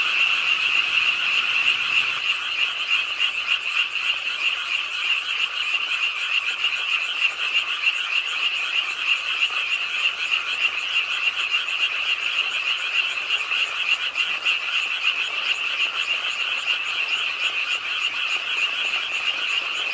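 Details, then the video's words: Pondside frogs in an urban park in Suwon calling together during night rainfall; continuous fast-pulsed, rattling croaks layered into an unbroken drone over soft falling rain. "비오는 밤 개구리소리, Do you hear the frogs? 비오는 밤 공원 연못 추억의 개구리 소리, Frog Sounds, 빗소리와 함께 듣는 개구리 우는 소리"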